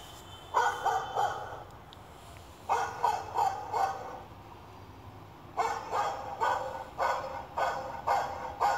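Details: Barking from a 2-month-old male Shih Tzu puppy's session reacting to a dog bark sound: bursts of three or four sharp, mid-pitched barks with pauses of about two seconds between bursts, in a quiet indoor room.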